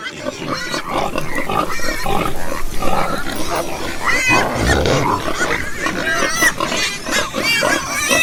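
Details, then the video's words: Farm pigs give a steady mix of low grunts and brief whining squeals, several animals calling at once with no pause. "listen to the sound Pig - pigs - pig sound"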